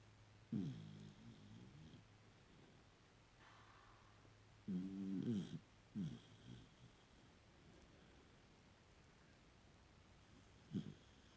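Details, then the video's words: Puppy snoring in its sleep, giving low, wheezy, harmonic snorts at irregular intervals: one early, a longer pair near the middle, and a final short snort after a long silence, with faint room hum. "Snoring Puppy"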